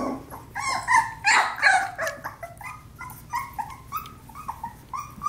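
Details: Australian Labradoodle litter at four weeks old during play: loud squealing yelps in the first two seconds, then a string of shorter, softer high yips repeated roughly three times a second.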